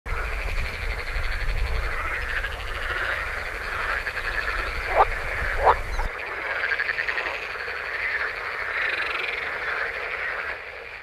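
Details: Male edible frogs (Rana esculenta) call in a dense chorus of rapid, rattling croaks that swell and fade continuously, from spring-warmed ponds in the Oldenburg area of north-west Lower Saxony, Germany, from early May.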